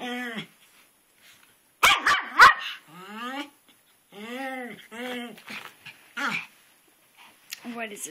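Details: A pet dog named Twitch, obsessed with a garden rock, barks at it in the rain while jumping back and forth. A tight cluster of loud, sharp barks sits mid-clip, framed by a person's questioning voice.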